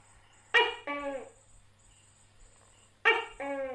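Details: Tokay gecko, a gecko common in Asia, giving two loud two-part calls: a sharp harsh first note followed by a lower, longer, nasal second note, repeated after about two and a half seconds over a steady high thin hum.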